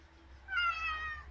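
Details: Single short, plaintive meow from a house cat begging to go out, a clear harmonic cry lasting under a second in a quiet indoor room.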